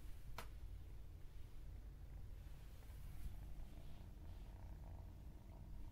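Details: Domestic cat purring: a steady, low rumbling drone with no meows, one sharp click near the start, faint and even throughout.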